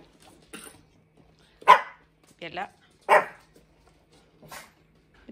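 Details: Indoors, one of two dogs, Hendo, a 10-month-old Pomeranian, or Salto, a beagle, being taught to ring a bell, gives two loud, sharp barks about 1.5 seconds apart, with softer yips and a voice speaking Norwegian words of praise around them.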